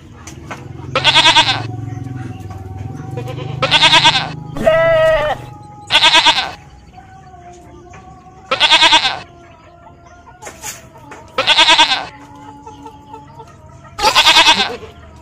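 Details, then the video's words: Goat bleating repeatedly, with seven or eight short, harsh, quavering bleats spaced about two to three seconds apart. One is a more tonal, drawn-out wavering cry. A steady faint hum runs underneath. "Suara Kambing, Bunyi Kambing, mbek mbek"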